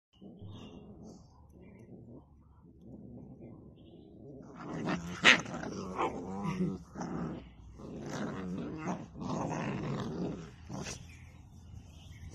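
A Rottweiler growls low and rumbling, then breaks into harsher, louder snarls while fighting.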